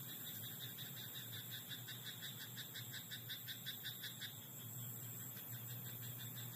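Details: Frog croaking in a rice paddy at night: a fast, regular run of short pulsed croaks that fades after about four seconds, over a steady high-pitched whine and a low background hum.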